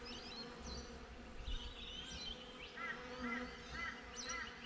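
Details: Bees buzzing beside a beehive on a GoPro, a soft low hum beneath a run of short repeated bird chirps, about four evenly spaced notes near the end.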